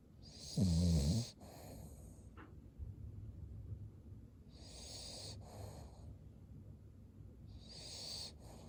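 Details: Sleeping Cavalier King Charles Spaniel with white eyes showing: one strong, growly snore near the start, then softer rhythmic breathy exhales and faint wheezes for the rest.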